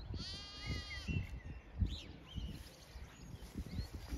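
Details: Zwartbles ewes and lambs in a sunny field in County Kilkenny, Ireland, on a regenerative farm with a cool breeze; one harmonic bleat early on, then wind rumble and soft handling noises.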